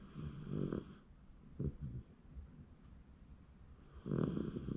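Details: Sleeping Shiba Inu, January 2024, snoring in three low, rasping breaths: two close together at the start, a short snort near the middle, and a longer rumbling snore at the end, with quiet breathing between.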